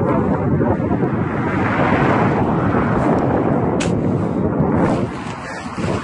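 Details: Loud wind buffeting the microphone with an engine-like roar throughout, with no animal voice.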